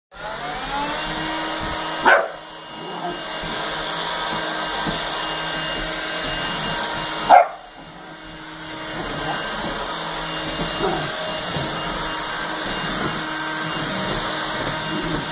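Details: Bear, an 11-week-old Bernese Mountain Dog puppy, confronts a vacuum cleaner, giving two sharp single barks about five seconds apart over the machine's steady roaring drone.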